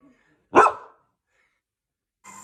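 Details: Single short, loud bark from a poodle, followed by silence and then a brief burst of faint hissing noise at the end.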